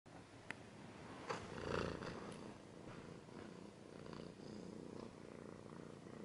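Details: Domestic cat purring, recorded close up: a low, steady rumbling purr runs under several sharp clicks and a brief rustling scratch in the first two seconds.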